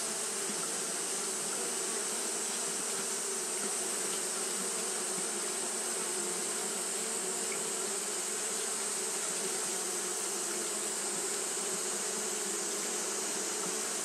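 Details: A long, steady drone of Japanese honey bees fanning nonstop through a hot day. The low buzzing hum barely varies, backed by a continuous high-pitched hiss.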